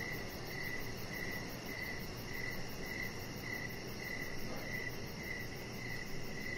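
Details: Evening cricket chorus near a deck: a regular series of brief, bright chirps spaced roughly half a second apart, with continuous high-pitched insect hiss and a rumbling low noise floor beneath.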